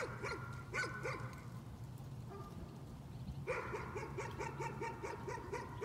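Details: A dog's nuisance barking: a few quick barks, a brief lull, then a fast, steady string of repeated barks over a low background hum.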